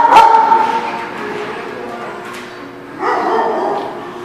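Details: Dog barking: one sharp bark at the start, then a quieter stretch and a second rough, broadband bark burst about three seconds in, with faint background sound between them.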